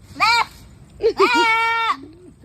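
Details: Goat giving a short bleat followed by a longer, steady, nasal bleat, with brief vocal sounds from a person between them over low background noise.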